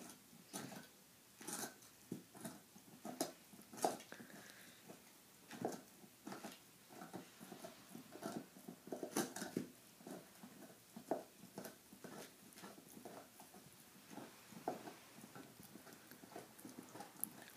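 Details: A female Saint Bernard, nine months old, eagerly chews a big bone, giving a steady run of crisp crunches and scraping bites every second or so, with a few louder cracks, over a low background.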